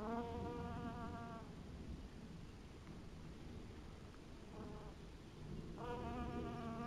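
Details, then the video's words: Honey bees at an apiary in 2012: two bursts of droning, harmonic-rich buzzing, at the start and near the end, as bees fly close, with a quieter low rumble and faint buzzing between. "Pszczele bzykanie"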